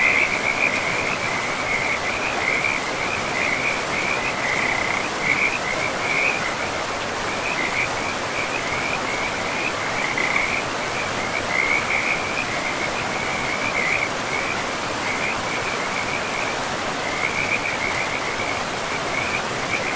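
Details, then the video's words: Forest river with frogs among moss-covered land, the animals producing an unbroken series of short buzzy trills at a single pitch, layered over a constant wash of streaming water. "River and Frogs sleep sounds"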